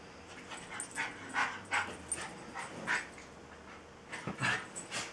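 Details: A Jack Russell terrier named Tinkerbell tries hard to coax a Welsh Terrier called Bilbo into playing. She gives short, high yips and whiny barks, repeated roughly every second with small pauses between.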